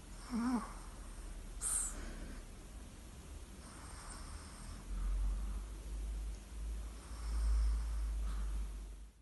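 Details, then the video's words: Sleeping Chihuahua, Lolita de Capdepera, snoring indoors: low, rumbling breaths swelling and fading in slow waves about every second or two, after a brief tonal whimper at the start and a soft click. "chihuahua roncando"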